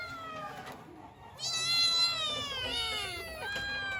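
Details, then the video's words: Kitten meowing for its mother: a soft falling cry, then a loud, long, high wailing meow with wavering pitch that drops away, followed by a shorter call. "Kittens meow so cute(The kittens wanted their mother)|kittens sounds"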